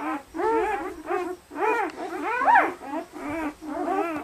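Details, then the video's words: Red and black German Shepherd puppies, 48 hours old, from a litter of eight, very lively: a chorus of short arched squeals and whines, several overlapping, in bursts about every half second with brief gaps. "German Shepherd Puppies 48 hours old"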